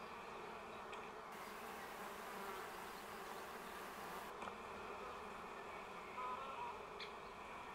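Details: Honey bees of a wild colony in a shaded tree close to the ground, Augsburg city forest, May 2016, heavily flying after overwintering; a low, constant droning hum of many bees, with a few faint higher chirps late on.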